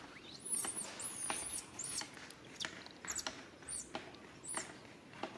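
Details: Young monkey crying out to its mother for help: repeated high-pitched arching squeals in rapid, uneven bursts, with sharp clicks and rustling between the cries.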